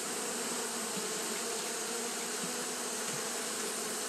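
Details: Steady collective drone of Japanese honey bees fanning through a hot day; an even, rough humming with a low band and wide airy hiss above, constant from start to end.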